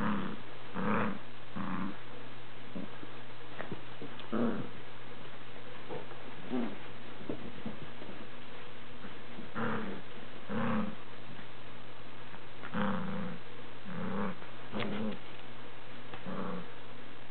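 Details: A four-year-old greyhound playing tug indoors with a two-month-old beagle puppy during a family visit; repeated short low growly grunts in bursts roughly every second or two, with a steady low hum beneath.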